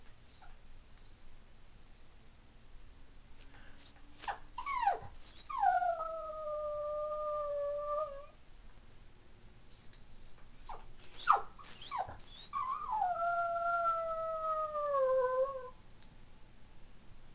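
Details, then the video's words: Toy poodle born in 2003, crying and howling indoors when her family leaves the house: sharp yelps lead into two long, steady, tonal howls, each held about two seconds and sliding down at the end. "My Adorable Dog Cries and Howls When She Misses Her Family"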